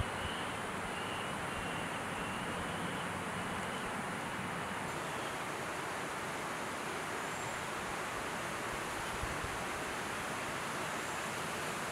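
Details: Steady broadband rushing noise like wind or distant surf, with no clear animal calls.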